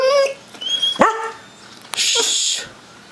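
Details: Indoor mastiff told to speak, giving two short high-pitched yelping barks about a second apart, then a hissing household noise; a person's voice urges it on.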